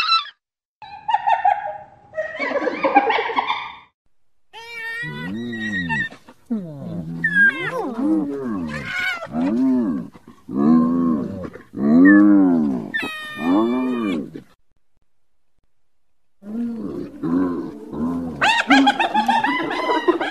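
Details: Excited hyena vocalizing in rapid arched giggles and rising wails, with loud bursts broken by short silences and a final cluster of high, squealing cries.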